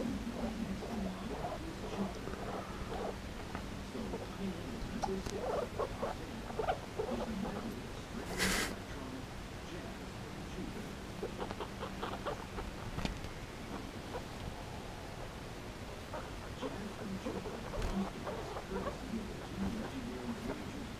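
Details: Cho and Pea, two guinea pigs at play with an old slipper: quiet squeaky chatter and small rhythmic chirps, a low steady hum throughout, and one brief loud rustle partway through.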